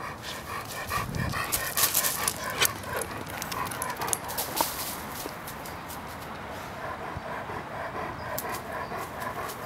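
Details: Roman, a 16-week-old Irish wolfhound puppy weighing 59 pounds, gives a run of short, tonal, whiny vocalizations, with brief sharp clicks and rustling scattered through the recording.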